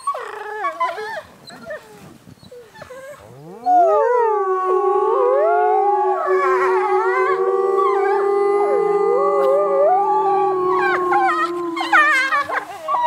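Wolves howl together, one long steady low howl sliding slightly downward beneath higher, wavering voices.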